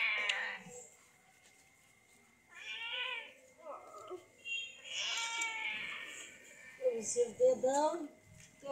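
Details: Sick cat being given treatment by madrasa girl students: several drawn-out, wavering meows separated by short pauses, mixed with nearby voices and background music.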